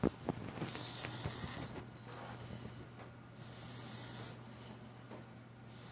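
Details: A cat snoring softly, with hissing, airy breaths roughly every two to three seconds. Each breath brings a broad rush of high sound, and a steady low hum runs underneath.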